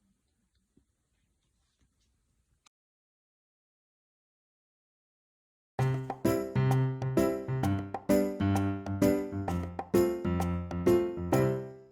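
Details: Near silence with a few soft clicks for about six seconds, then cheerful tinkling, bell-like music with a regular beat fills the rest, and no animal is heard.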